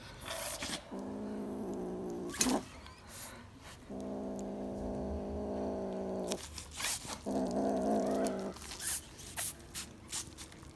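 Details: Black kitten Panthiras with corn, growling in long steady low bouts of about one and a half to two and a half seconds, separated by crunching and rustling noises.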